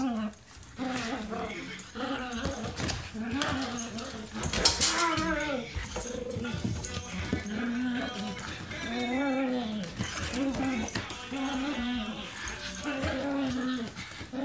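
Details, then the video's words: Two dogs, a German Shepherd mix and a Miniature Pinscher, fighting over a toy indoors: continuous growling mixed with rising and falling whining yelps and nasal grumbles, with a woman's voice now and then. "Dogs fighting over toy"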